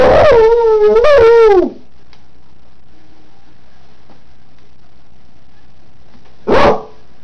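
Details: Kelpie howling as she normally does: two loud, wavering howls with rich harmonics fill the first second and a half, a quiet pause follows, then one short howl rises near the end.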